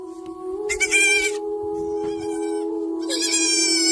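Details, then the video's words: ['A young goat kid gives two wavering bleats, one early and one at the end. A steady, loud humming tone plays throughout.'] "goat funny sound"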